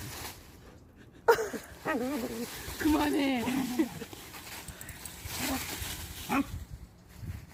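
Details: Puppy roughhousing with an older dog at home: a sharp yelp, then a series of squeaky, wavering whines and yips, followed by short grumbles amid rustling and thumping of play.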